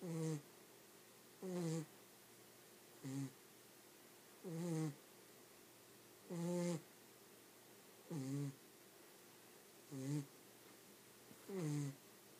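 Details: Dog snoring nonstop while asleep: eight deep, rasping snores, each a short, buzzy, slightly falling groan, coming at a fairly steady pace of about one every one and a half seconds, with quiet pauses between.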